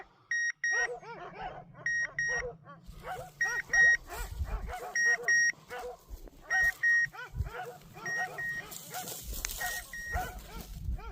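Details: Hunting German Shorthaired Pointer barking in quick bursts of sharp yelps, with steady pairs of electronic beeps sounding over them and some rustling noise toward the end.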